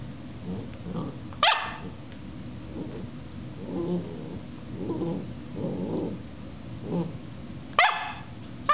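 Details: Pet dog squaring off against the top of a carrot: low rumbling growls in short bursts roughly once a second, broken by two sharp, loud barks near the start and the end.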